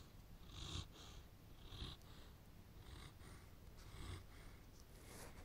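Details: Snoring of a Landseer that always falls asleep: a low, purring rumble rising and falling in gentle breathy pulses, close to one a second, with soft hissy exhalations above.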